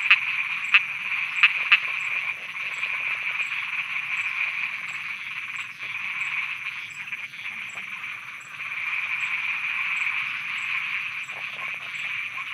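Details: Dense night chorus of frogs in Thailand forming a steady, buzzing trill that rises and dips in loudness, with a few sharp clicks at the start.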